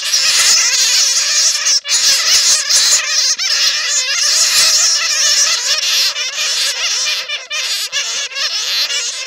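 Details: Loud, unbroken clamour of bats caught in a net, used as a bat lure: many shrill, bending squeals overlap in a restless chatter with only short dips.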